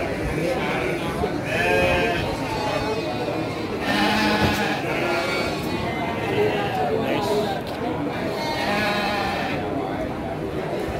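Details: Garut sheep ewes at the Andir sheep and goat market in Garut, Indonesia, 5 April 2021. Several wavering, harmonic bleats rise from the herd at irregular intervals. A steady crowd murmur and people talking run underneath.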